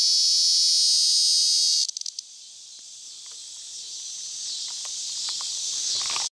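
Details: A Tibicen tremulus (bottomland dog-day) cicada sings in a collapsible cage at Sandhills State Park, Reno County, Kansas, on 2 August 2011: a shrill, steady buzz that drops, swells slowly and stops abruptly; T. lyricen and T. pruinosus sound behind.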